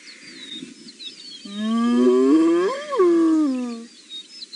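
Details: A spotted hyena in the Masai Mara on a June morning gives a long, rising contact whoop that swells upward, then slides down, calling back to another hyena whooping far off towards the mountain.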